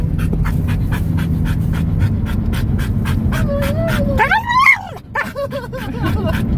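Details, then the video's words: A dog yodels while riding in a car, with wavering warbled howl tones that rise and fall, breaking into quick pitch wobbles in the second half, above a steady low rumble of the moving vehicle. "Seven minutes of my dog yodeling in the car."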